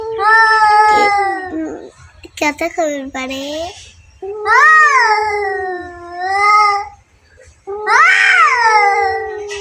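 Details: Fighting cats give long, quavering wails with a brief broken, stuttering burst early on, then two further drawn-out yowls rising and falling in pitch.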